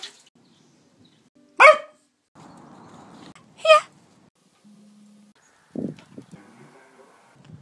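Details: A female beagle puppy kept as a pet gives two sharp, loud barks about two seconds apart, followed by a softer short yelp; a person speaks quietly in between and faint household noise fills the background.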